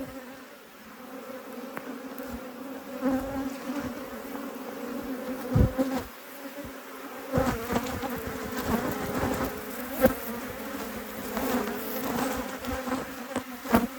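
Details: Honey bee colony buzzing during a beekeeper's apiary inspection: a continuous low hum holds steady for the whole stretch, with scattered clicks and knocks from handling the hive and brief faint voices.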